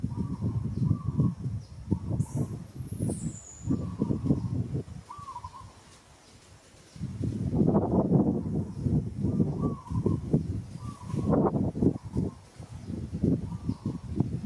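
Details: Moka, a female monkey in Kampong Cham Province, Cambodia, gives repeated short tonal cries while struggling against rough handling by another monkey, Sada. Heavy rustling and scuffling noise runs throughout, with a high descending bird whistle early on.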